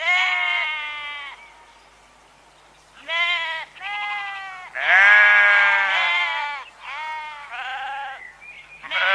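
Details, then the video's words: Sheep baaing: one long, trembling bleat, a quiet gap, then a string of shorter overlapping baas from more than one animal, rising and falling in pitch. "Ovelhas - Som da Ovelha - Ovelha Berrando"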